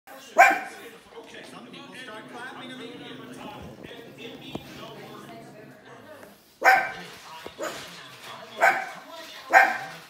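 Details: A pug barks at the CGI animals of The Lion King on television: sharp single barks, four in quick succession near the end, over the film's dialogue.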